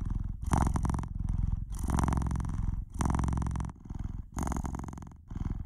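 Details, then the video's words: Domestic cat purring loudly and steadily, a low rumbling vibration in pulses about a second long separated by brief pauses, with a rough buzzy texture on each breath, recorded close up indoors with no other sounds. "Cat's Purr"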